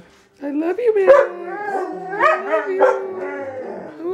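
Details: Several house huskies singing in chorus: drawn-out, wavering howls rising and falling and overlapping, starting after a short silence, with human voices and background music mixed in.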